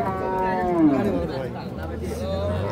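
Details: Dairy cow at the Raniganj cattle market, 17 November 2025, giving a low moo that slides downward in pitch, then a steady deep hum; market voices and chatter in the background.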